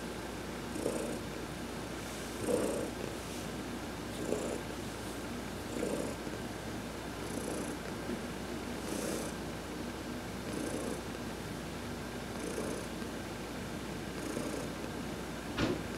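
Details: Heidi, an adopted cat, purring while being massaged during a sun bath on November 19, 2020; a steady low rumble swells with each breath roughly every two seconds, with faint hiss-like bursts higher up.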